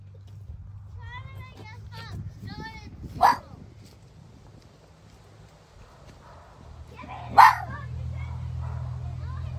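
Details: A fox gives two harsh, explosive alarm barks several seconds apart against a low hum, aimed at a rarely seen human visitor in its yard that it considers unwelcome in its territory. Fox.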